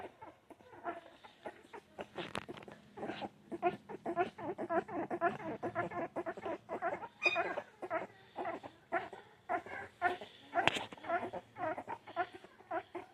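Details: Puppies making a rapid stream of high whines, squeaks and yelps, several voices overlapping almost continuously, with occasional sharper cries standing out.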